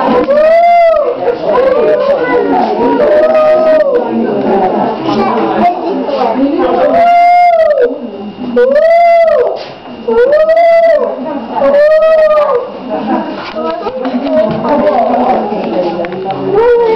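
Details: Wolves in a chorus of overlapping howls: several voices give arching, mid-pitched wails that rise and fall, repeated every second or two, with rougher yelping tones woven between them and brief pauses near the eighth and tenth seconds.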